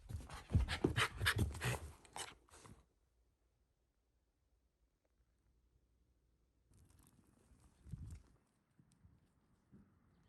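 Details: Shiba Inu named Ranmaru indoors at home, hunting by scent for family members hidden behind a sliding door in the next room; quick breathy pants in rapid bursts for almost three seconds, then near silence with soft rustling later.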